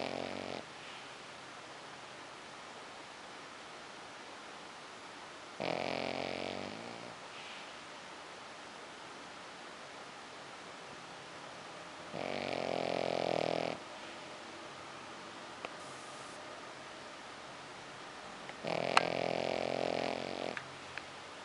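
A Pekingese snores in slow, rasping bursts, each lasting over a second, spaced several seconds apart.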